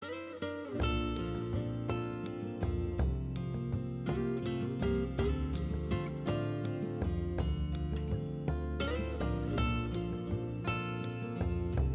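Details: Strummed acoustic guitar music plays throughout with no animal sound.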